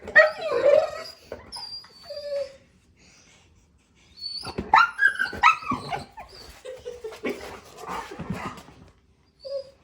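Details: A male Golden Retriever, talking to little birds landing outside a store window (the only time he makes these noises), gives high, wavering whining whimpers broken by short yips and squeaks, in bursts separated by pauses, faint chirps behind.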